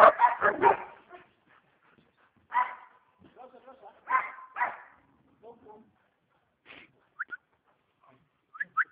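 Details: A family's pet dog, said to be fierce during training, lets out a quick burst of loud barks, then single sharp barks every second or two. Human speech and a few short high squeaks are heard between them.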